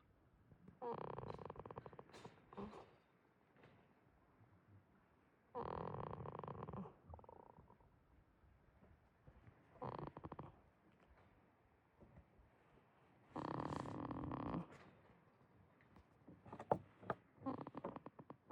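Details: Sleeping goat named Jitta at a quiet farm in Himi, Toyama Prefecture, Japan: harsh, fluttering snores roughly every four seconds, each lasting about a second and a half, with faint rustles in the gaps.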